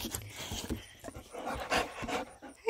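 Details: Boxer dog at play with a baby, one of two boxers playing together; quick rhythmic panting breaths with a short whimper, a person speaking softly nearby.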